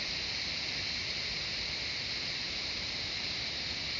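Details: Cicadas singing in the jungle of Shivapuri Nagarjun National Park, on the outskirts of Kathmandu, Nepal: an unbroken, steady high-pitched hissing drone that holds level for the whole stretch, with no pauses or other clear sounds.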